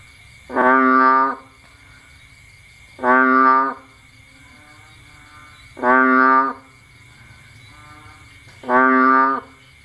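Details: Bullfrog calling in Cambodia on a rainy night, when frogs come out to find food. Four loud, nasal, harmonic bleats, each under a second long, about every 2.7 seconds. A steady high insect whine continues underneath.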